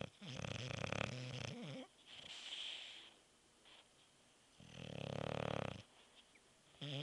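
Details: Sleeping bulldog snoring loudly, long rattling, buzzy inhalations with a low throbbing tone, alternating with softer hissing breaths, each lasting one to two seconds.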